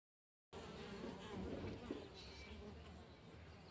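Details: Many western honey bees (Apis mellifera) buzz together in a steady, low, droning hum in the morning.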